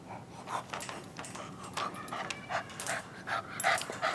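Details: Male bulldog puppy hiccuping after a long walk and playtime, overexcited and tired; short breathy bursts repeat roughly two to three times a second, uneven in strength, over a soft noisy room background.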